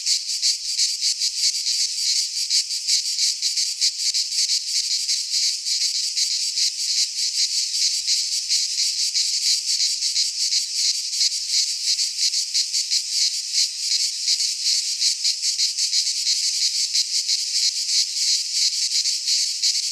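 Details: Cicadas singing in midsummer in a Greek pine forest: a continuous dense buzzing chorus, high and hissing, with fine rapid pulsing throughout and no other clear sounds.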